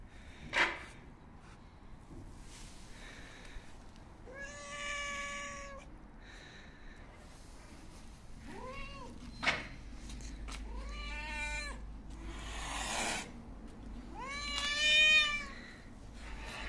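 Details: Hungry stray cat seeking attention gives a series of meows over sixteen seconds, some short and wavering, others longer and rising, interspersed with sharp clicks and breathy noise bursts possibly from hissing.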